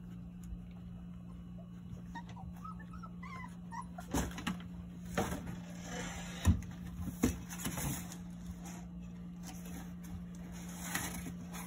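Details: Jindo mother Sarang lets her nine teething puppies suckle, a rare chance now that she has begun refusing them. A few short high squeaks early on, then soft yips and clicking bursts over a steady low hum.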